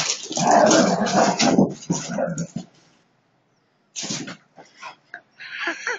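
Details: Playful fight between Siberian Huskies: rough snarling growls for almost three seconds, a silent gap, then short gruff bursts and a high, wavering whine rising and falling at the end.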